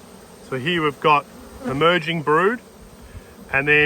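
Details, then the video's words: Hive inspection, 19/3/22, with honey bees darting past: rich, reedy buzzes rise and fall in pitch as each insect swoops near, four or five short passes in quick succession over a faint colony drone. "Up Close and Personal with Bees - Yellow and Black Hive Inspections"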